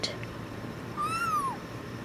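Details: Tuxedo kitten yelling when held gives a single soft, arched meow lasting about half a second, rising slightly then sliding down, over a faint hum.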